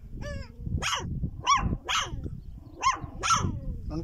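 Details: Wild dog in a Chad desert letting out about six sharp, yelping barks, each rising then dropping in pitch, spaced roughly half a second to a second apart above a constant low background rumble.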